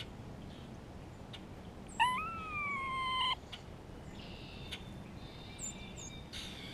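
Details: Grey squirrel in spring, calling while communicating with another squirrel and reacting to a hawk nearby: one drawn-out tonal whine, about a second long, rising at the start and then holding level, over faint background rustles and soft chirps.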